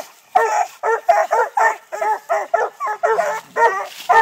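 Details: Six-month-old Treeing Walker Coonhound puppies barking at a live-trapped raccoon up a tree during coon hunting training in Texas; hoarse, harmonic barks come in a rapid, uneven string, about two per second.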